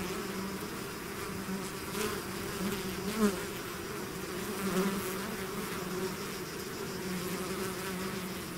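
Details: Swarm of bees out of the hive producing a dense, continuous droning hum, steady low buzz with faint rising and falling whines from individual bees passing close.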